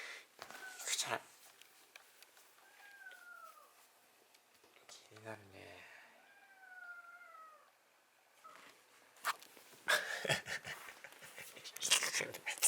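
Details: Small white kitten rescued from a front doorstep in early winter, kept indoors with a family, utters several thin falling meows spaced a few seconds apart, with people talking and rustling before and after.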